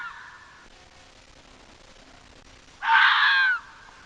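A fox gives one harsh, raspy, screaming call lasting under a second, after a faint earlier note.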